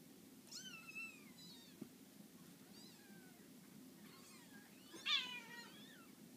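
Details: Six-day-old Scottish Fold kittens, sleeping a lot, give thin, high mews that slide downward, several in a loose series.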